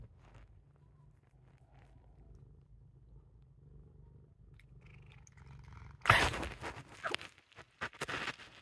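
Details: Pet cat purring just before biting its owner: a low, soft, steady rumble for about six seconds, then loud rustling and handling noises with sharp bursts as the bite happens.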